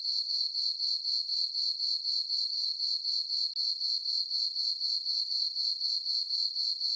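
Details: Summer-night crickets in a moonlit farm meadow, their chirping a continuous shrill band broken into even pulses roughly four per second, regular and unbroken.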